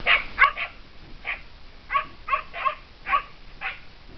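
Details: Kai Ken hunting dog barking while chasing a serow in mountain fields; sharp, high yipping barks in quick irregular bursts, about nine over four seconds, some doubled.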